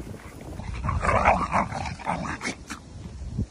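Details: Dogs playing together as best friends, including Mango, a male English cream Golden Retriever; rough, grumbling play growls and huffs rise and fall for about three seconds, with a soft whimper near the end and some background rustling.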